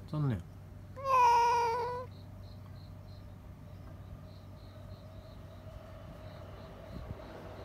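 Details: Screaming domestic cat reacting to a cat outside: a short sharp cry opens, then a loud wavering yowl of about one second, followed by a faint steady drone in a quiet indoor room.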